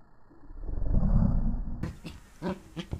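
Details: Pembroke Welsh Corgi puppy playing against a human hand, 2014: a low, rumbling growl swells for nearly two seconds, then gives way to a few short scuffling taps and soft noises.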